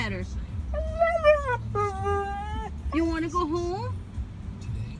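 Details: Siberian Husky singing its drawn-out woo-woo vocals: a few sustained, wavering tonal notes, each held about a second, with small upward and downward glides and low background hum.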